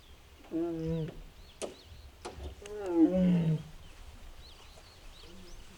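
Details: Mugung, a six-year-old tiger at the Tiger Forest in Bonghwa, recorded on an April 2026 afternoon and making strange sounds, possibly unwell: two low, moaning harmonic calls about two seconds apart, with faint bird chirps in the background.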